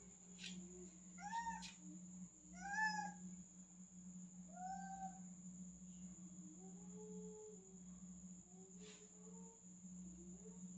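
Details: A male cat, stuck up high and afraid to jump down, meows several times in quick succession, bent and wavering calls that grow quieter and fainter toward the end, over a constant low hum and high whine.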